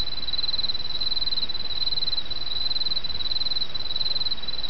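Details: Autumn insect song over the babble of a small stream. A high, rapidly pulsed trill runs almost without pause, broken only by brief gaps, above the steady rush of water.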